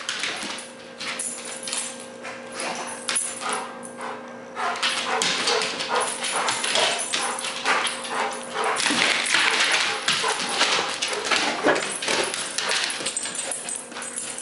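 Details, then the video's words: Zeus, a young Rottweiler, chews and wrestles a frisbee. Harsh broadband growls and gnawing noises run on unevenly, growing louder midway, with a faint steady hum underneath. "Rottweiler VS Frisbee"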